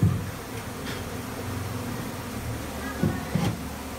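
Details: Honey bees buzzing inside a bathroom in Nepal during a honey hunt, a steady low droning hum with a few sharper bumps near the end and faint background noise.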